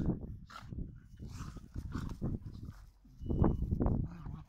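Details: Dogs play fighting: low, rough rumbling growls in uneven bursts, a quieter gap near the middle, then a louder snarling burst toward the end.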